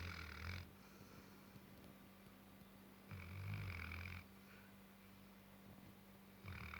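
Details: Sleeping Tibetan Mastiff Gassan, nine months old, gives deep, drawn-out snores, each about a second long with a raspy upper edge, spaced roughly three seconds apart over a steady low indoor hum.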